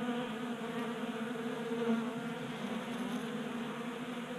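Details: Many honey bees feasting at a 3D printed bee feeder on a workbench during unseasonal January warmth in Colorado; a thick, continuous droning buzz with overlapping wingbeat tones.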